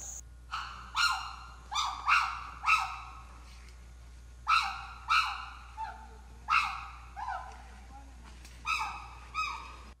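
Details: Habituated chimpanzees living in an island community, roaming free by day, give loud, boisterous bursts of rising, hooting calls in quick runs of two or three.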